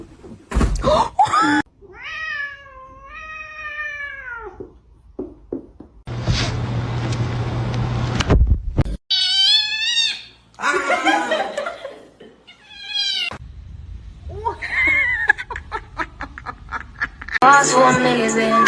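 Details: Kittens crying and meowing indoors: several clear harmonic meows, some arching and wavering, others short and sharp, separated by a loud noisy burst and thumps midway.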